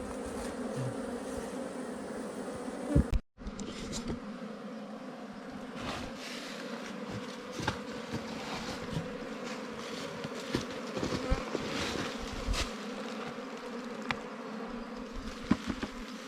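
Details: Wild ground bees recorded during a honey hunt make a dense, steady, droning buzz. Louder clicks and knocks from handling break in, with a brief dropout near the start.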